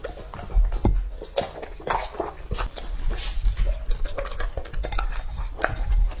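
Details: Lucky, a male English-type Labrador Retriever of two and a half years, chewing raw meat for an ASMR compilation; moist smacking and licking sounds come in bursts with dull low knocks between them.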